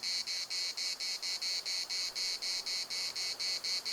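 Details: Loud cicada song recorded in the municipal park at Larnaca: rasping, shimmering buzzes pulsing about three times a second in a regular, throbbing rhythm.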